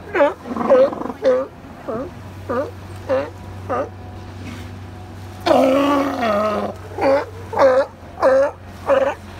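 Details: California sea lions resting on the beach at Second Beach, Powell River, British Columbia, give hoarse, harmonic barks about every half second. A longer, rougher bellow comes near the middle, over a steady low hum.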